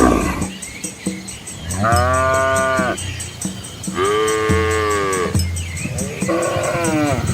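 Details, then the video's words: Herd of Asian village cows and calves moving along a quiet country road amid rice fields; three long, full moos in close succession, each rising then falling, with faint steady background hiss. "Cow Sounds"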